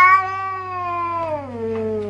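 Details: Cat with red eyes giving a loud, sustained caterwaul lasting about two seconds, steady and tonal, then sliding downward in pitch near the end, with a low background hum.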